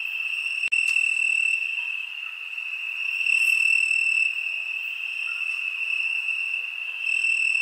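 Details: Summer-night crickets hold an unbroken shrill trill at one high pitch, its loudness rising and falling gently, with a single sharp click early on.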